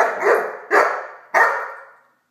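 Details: Great Dane puppy named Blacky barking while playing with a toy dog; three sharp, loud barks about 0.6 seconds apart, each trailing off with a short echoing decay.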